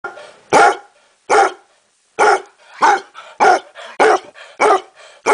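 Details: A basset hound gives its distinctive seal-like bark: a series of hoarse, booming barks at uneven intervals.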